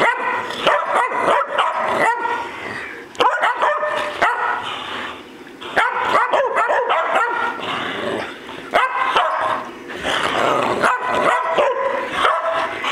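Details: Bocephus, Kelsie and Vinny, three family dogs at play, bark and yip excitedly in clustered volleys separated by brief lulls, the calls harsh and strongly harmonic, several dogs sounding together.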